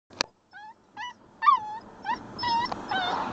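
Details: Alaskan Malamute puppy, 8 weeks old, crying: a sharp opening click, then a series of short, rising-and-falling whimpers and yelps about half a second apart, growing louder and more run-together toward the end.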